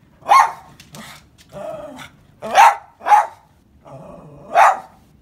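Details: A Siberian Husky barks as someone pulls up to the house, giving loud, sharp, spaced barks roughly every half second to a second, with lower grumbling, growl-like sounds between them.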